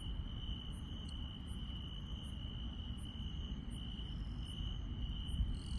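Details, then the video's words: Rural night insects, an even continuous trill joined by clipped high chirps spaced roughly every 0.7 seconds in a regular beat, over a steady low rumble. "시골 밤의 정겨운 풀벌레 소리"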